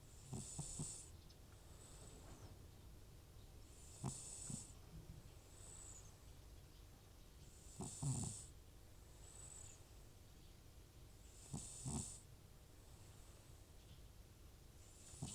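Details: Sleeping elderly cat named Butcher, an FIV-positive rescue prone to sneezing and nasal discharge. Softer wheezy snores repeat roughly every four seconds, each a hissing breath over a faint low rattle, with a steady quiet indoor hum.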